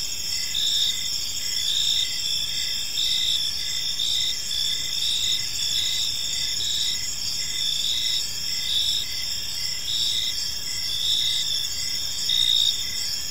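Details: Crickets calling together on a park evening: high, ringing chirps in parallel bands, loosely pulsed around once a second, backed by faint low ambient noise.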